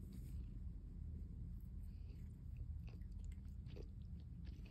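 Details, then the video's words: Yuzu, a calico cat, purring contentedly while kneading in a basket: a continuous soft low rumble, close and steady, with light scratchy rustles of paws working the basket. "Yuzu the Calico cat in basket purring and making biscuits"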